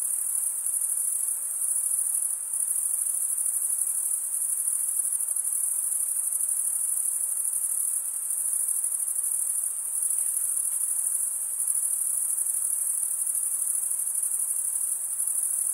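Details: Male crickets stridulate with their wings, giving an unbroken high-pitched shimmering trill that stays level in pitch and loudness throughout, many insects blending into one constant ringing chorus.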